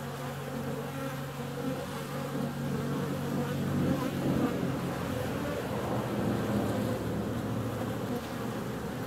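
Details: Bees out on a warm February day, a busy buzzing drone running throughout over a strong, steady low mechanical hum.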